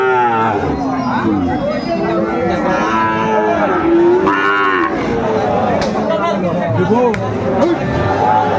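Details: Sahiwal cattle at a Bangladeshi livestock market in Comilla, 1 October 2024. Short, bending moos come in bursts amid a loud crowd and nearby speech.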